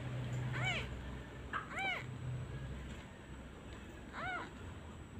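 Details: Orphaned kitten calling for its absent mother each time a comforting hand is lifted. Three clear, high, arched mews about a second apart, with a low steady hum underneath.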